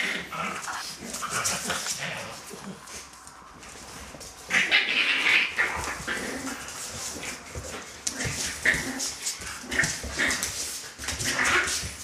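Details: Celtic Mist's Litter A of puppies fills the clip with rapid, uneven high-pitched whines and yelps, louder from midway. A small room echoes with rustling and a faint voice.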